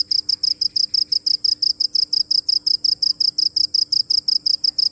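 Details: Steady cricket chirping: shrill, high pulsed chirps repeated almost three times per second in a clean, regular rhythm, over a quiet background with a faint steady hum.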